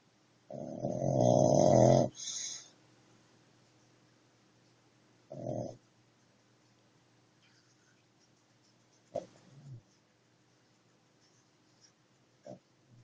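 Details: Dog snoring: one long loud rasping snore at the start, followed by a shorter snore a few seconds later, then quiet breathing with a couple of faint snorts in a quiet room.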